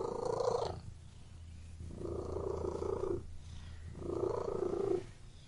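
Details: A cat purring in three rumbling bursts, each about a second long, separated by quieter pauses. A low hum continues underneath.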